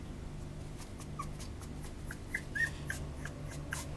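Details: Male Cavapoo puppy, a Cavalier and Toy Poodle mix, in a small indoor room, giving short high squeaky whimpers and yelps in an irregular run over about two seconds, with faint clicks and low background hum.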